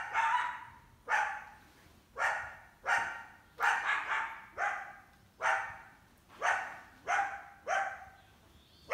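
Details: Summer coyote with at least one sizeable pup, attempting to hunt an indoor cat; steady sequence of about a dozen sharp, yelping barks, some doubled, spaced under a second apart.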